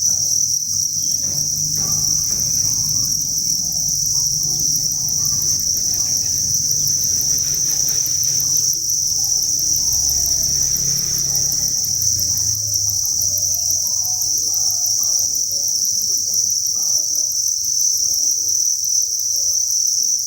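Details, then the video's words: Crickets by the thousands in a breeding facility create a continuous piercing chorus of chirps, with low rumbling and shuffling noise swelling through the first half and light clicking later. "Cricket Chirping Sound"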